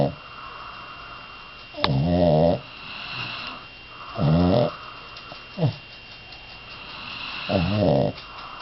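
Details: Sleeping dog snoring indoors; four uneven nasal snores, each a harmonic buzzing rasp under a second long, spaced irregularly, over a steady low room hum.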